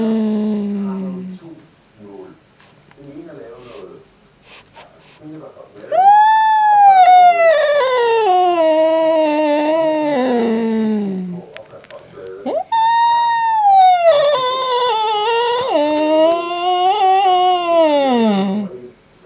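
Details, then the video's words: Angry male house cat yowling indoors at a black cat resting outside, compared to an old lady screaming. A brief low moan opens, then two long drawn-out wailing yowls, each about five seconds, rising and then sliding slowly downward. "Angry Cat makes Funny Sounds"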